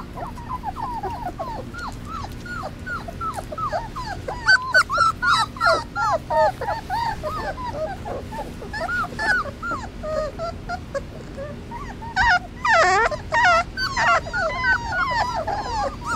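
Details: Three-week-old Basset Hound puppies crying for their mother during their first supervised outing outdoors: dense, jittery whines and squeaky yips from several pups at once, with a louder, shrill wail breaking through midway.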